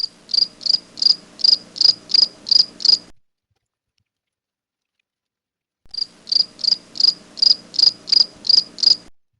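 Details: House cricket (Acheta domestica), kept as a feeder insect, gives two runs of about eight high, shrill chirps, evenly spaced around three per second, with a silent pause of nearly three seconds between the runs.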